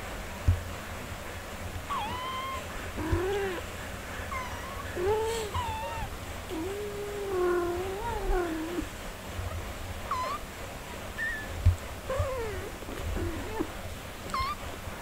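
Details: Nursing mother cat with her four-day-old kittens; a run of drawn-out, wavering mews and shorter high squeaks, several overlapping, heard against a continuous low background hum.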